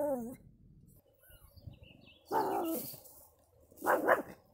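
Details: Pomeranian pet called Chuck lets out a high wavering whine, then two loud harsh barks about one and a half seconds apart, with low voices in the background.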